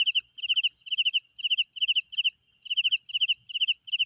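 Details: Nighttime cricket song: shrill chirps of three or four fast pulses each, coming about twice a second, with a brief pause midway, against a steady high insect background drone.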